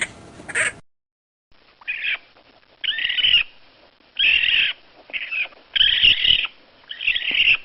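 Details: A raccoon gives harsh, raspy squealing bursts, each lasting under a second and coming at uneven intervals about every second. A brief, noisy burst opens the recording, and there are silent gaps between the calls.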